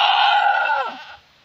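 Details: Mini Nubian goat during labour, delivering triplets: a single loud, drawn-out, quavering bleat, slightly descending at its end, then near silence.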